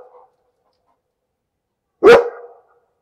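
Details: A single sharp, loud dog bark about two seconds in, with a short ringing tail; a faint brief sound at the very start, otherwise silence.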